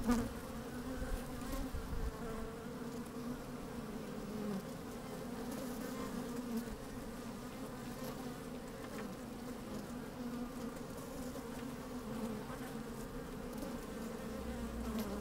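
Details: Busy honey bees recorded from a microphone lowered into an open hive on a sunny day: an even, unbroken hum of many bees, steady in loudness throughout, with faint low wind rumble at times.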